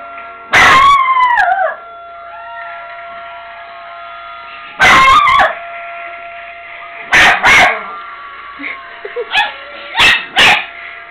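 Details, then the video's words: Pet dog Brownie answering a tornado siren test with a falling, quavering howl, followed by several sharp loud outbursts spaced a few seconds apart, all over the constant siren hum. "My dog brownie howling at tornado siren"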